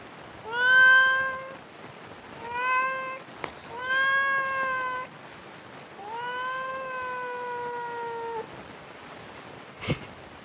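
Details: A cat meowing: four drawn-out, harmonic-rich meows, each lasting about one to two seconds, level then slightly falling, over a steady background hiss, with a sharp click near the end.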